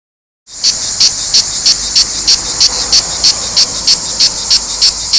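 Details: Cicadas singing in Provence: after a half-second of silence, a loud, high, hissing buzz sets in, swelling into brighter pulses about three times a second in a steady, even rhythm.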